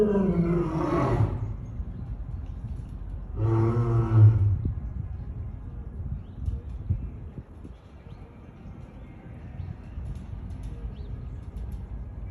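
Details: Lion sneezing: two short, harsh explosive bursts with a layered, voiced quality, roughly three seconds apart, followed by quieter low rumbling background noise.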